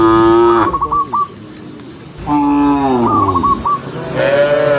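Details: Cows from a vast tame herd walking in daylight countryside: two loud moos that start steady and bend downward, fluttering chirps between them, and a third higher call beginning at the close.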